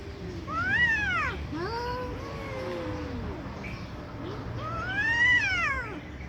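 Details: Fighting cats trading angry yowls: a high rising-falling wail, then lower drawn-out moans, and another high arched wail at the end.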